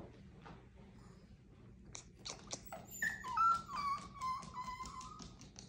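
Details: Rosie, a pet Chihuahua, lets out a short series of soft, thin whimpers that rise and then fall in long drawn-out whining tones, over a faint background hum and a few quiet clicks.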